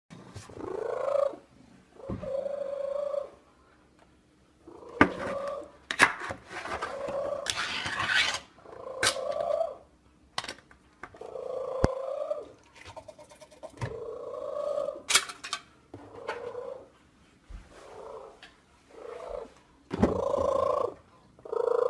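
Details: Cat making a terrible sound: a long run of drawn-out, moaning vowel-like cries, each about a second long, repeated with short gaps, mixed with a few sharp clicks and rustling knocks.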